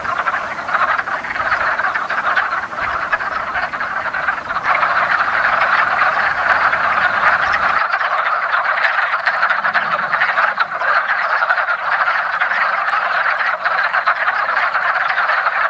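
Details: Wood frogs gathered at a woodland pond for their annual mating ritual at the first hint of spring, calling together in a dense, continuous chorus of overlapping clucking croaks.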